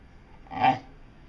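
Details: Dotty, a talking pet dog, gives one short swelling moan-like utterance, rising then falling, in a quiet room while being coaxed to speak.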